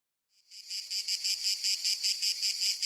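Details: Cicada calling: after a brief silence, a shrill, high buzzing starts and pulses steadily about four times per second, with no other sounds.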